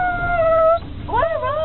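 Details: Excited Saluki about to go to the play paddock: a sustained, even howl, a short pause, then wavering, bending notes as a person speaks quietly.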